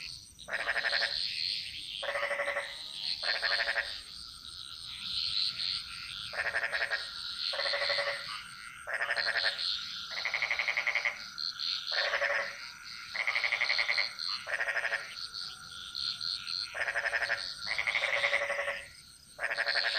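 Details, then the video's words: Jungle frog chorus from Bali: a series of bleating, pulsed croaks, each under a second, coming roughly every second, over a steady whistled tone and high buzzing background callers. "Frog Mantras - Relaxing Sounds Of Bali"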